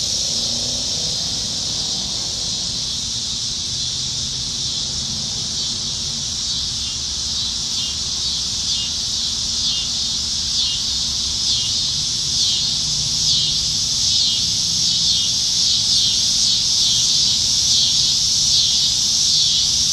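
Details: Many cicadas calling from trees on a Nebraska summertime evening in July 2019; the high steady whine turns into rapid throbbing pulses, roughly four per second, through the second half, over faint low background hum.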